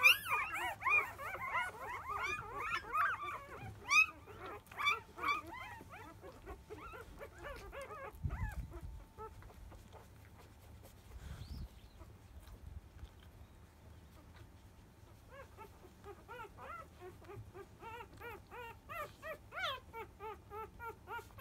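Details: Five-day-old field-line Labrador Retriever puppies from a litter born to biscuit, 2017 JFA grand champion, at the 10 a.m. nursing: high, arched whimpers and squeals, busy at first, fading to quiet, then resuming near the end.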